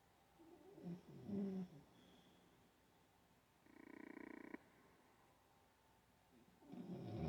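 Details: Sleeping Olde English Bulldogge giving several uneven snores and snorts: a low, rattling burst early on, a harsher rasping breath in the middle, and another rough intake rising in loudness at the end.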